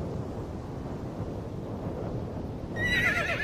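Low rumbling and thudding, perhaps hooves, fills the first few seconds before a Przewalski's horse gives a brief, high, quavering whinny at the very end.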